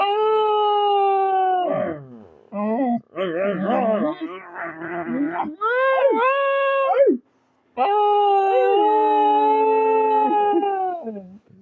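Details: Dog howls as though talking: long held notes alternate with rapid, warbling, yodelling passages and abrupt pitch jumps, with a brief pause before a final long, slowly falling howl.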